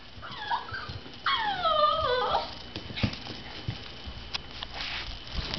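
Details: An Alaskan Klee Kai indoors, upset that someone just left the house, gives high, falling whimpers and whines over a faint steady hum, followed by a woman's voice asking what's wrong.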